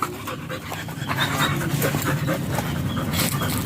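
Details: German Shepherd during a stud session in Nalsian, Manaoag, Pangasinan, the Philippines; fast, breathy panting in rapid uneven bursts of rasping air, with faint background noise.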